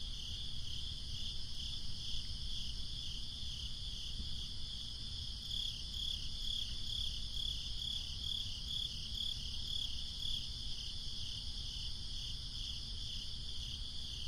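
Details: Crickets on a breezy summer night, a steady high trill band with faint regular pulsing chirps, layered over low rumbling wind noise throughout.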